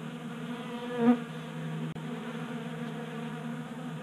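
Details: Many honey bees feasting at a 3D printed feeder on a garage workbench in Colorado, active in January warmth; steady low droning hum, one bee swelling louder briefly near the start, then a sharp click interrupts before the buzz resumes.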